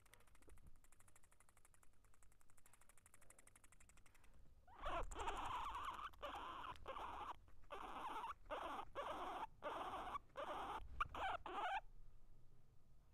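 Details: Guinea pigs eating and fighting, close up: dense rapid crunching and rustling bursts in quick succession for about seven seconds, with short gaps between bursts, after a quieter stretch of faint patter.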